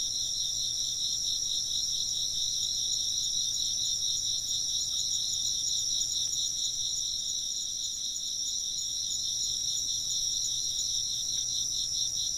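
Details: Chirping insects in a dense, steady chorus of high, shimmering pulsed trills layered in two bright bands, running continuously without a break throughout.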